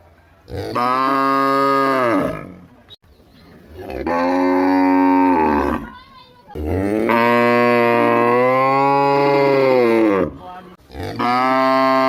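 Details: A village cow gives three long, loud moos, each a rich harmonic bellow about two seconds long.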